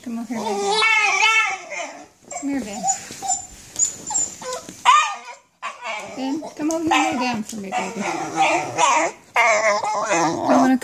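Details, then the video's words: Basenji in pain from nerve root damage while walking, giving near-continuous wavering, warbling howls and yodel-like cries across the whole stretch, a brief silence midway. "Walking pain"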